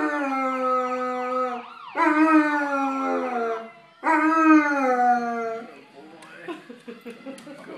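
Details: German Shepherd howling in response to a siren: three sustained, slightly sagging howls with rich overtones, each about two seconds long, then quieter rustling as a wailing siren continues behind.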